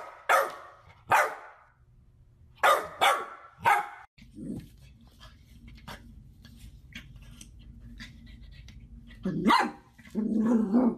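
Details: Golden Retriever puppies giving short, sharp barks, several in a quick run at the start, followed by a steady low background hum with faint clicks, then a few rougher barks and a grumbling, growl-like sound at the end.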